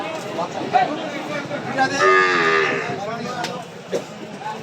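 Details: Small cattle at a cattle market in Setabganj, Dinajpur, Bangladesh, recorded 4 September 2024; one drawn-out, harmonic low moo swells and fades over about a second, amid faint crowd chatter and scattered knocks.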